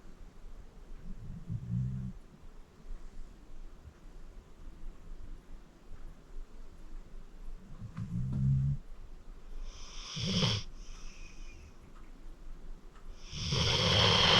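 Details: A sleeping senior pit bull named Acorn, 14 years old and rescued from the Cuyahoga County Animal Shelter, snores indoors: soft low rumbles at intervals, then louder hissing, wheezy breaths toward the end.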